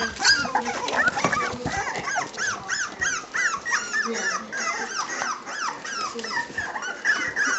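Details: Staffordshire bull terrier puppies at three weeks old, a chorus of high, arching whimpers and squeaks repeating rapidly, several pups overlapping, with faint human voices beneath.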